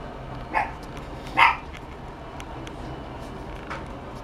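A Chihuahua puppy gives two short, high yips, with a fainter third one a moment later.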